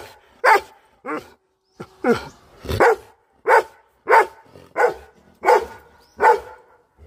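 A Doberman barks in loud, deep single bursts, roughly one every second.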